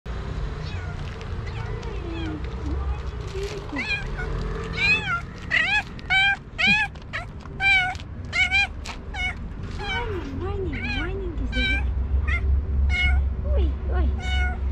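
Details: Tiramisu, a female pet cat described as the fastest meowing cat, gives a rapid series of short, rising-falling meows from about five seconds onward, many in quick succession, over a steady low engine-like hum and some human voice.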